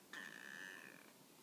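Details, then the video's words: Tonkinese cat Peko, lying down, gives a sustained, pure, high-pitched reply meow about one second long, steady in pitch and fading gently, with only faint background hiss. "必ず返事をする、ETペコ トンキニーズの猫ちゃん"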